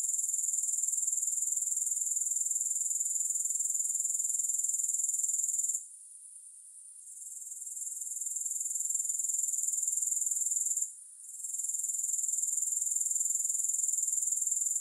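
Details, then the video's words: Continuous thin, sizzling insect trill from grasshoppers, very high and evenly pulsed, fading out twice for short gaps before resuming at full strength; nothing else audible. "Grass Hopper Sounds"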